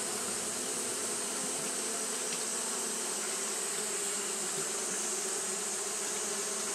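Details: Continuous fanning by Japanese honey bees in hot weather: a low, full buzzing hum layered with overtones, holding level from start to finish, with a persistent shrill background hiss.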